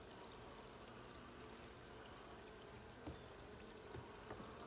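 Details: During a check of the blue honey bee hive, June 20, 2022, a low steady humming buzz of the colony fills the recording, with a few soft knocks toward the end.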